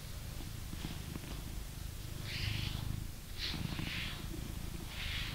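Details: Blue British Shorthair cat, a male pet living in England, purring as he is brushed; a low rumbling purr swells slightly mid-clip while loud hissing brush strokes pass at about one-second intervals.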